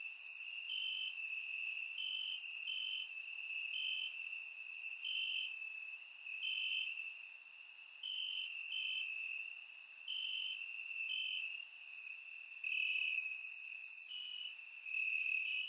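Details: On a warm Bulgarian summer night, crickets chirp in grass; a constant shrill drone underlies rhythmic pulsed chirps every second or so, joined by sharper higher bursts from other crickets, surround-microphone recording.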